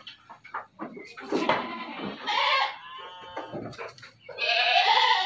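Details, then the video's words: Bleating dairy goats at a livestock farm in Bogor, with several overlapping nasal, quavering bleats, the loudest coming in a long final call, over knocks and rustling in the pen. "KAMBING PERAH"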